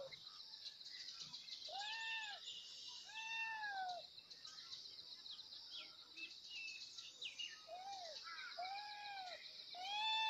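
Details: Kittens meowing loudly as they call for their mother: a series of clear, arched meows that rise and fall, some coming in quick pairs, set against a steady high buzzing chorus with scattered chirps.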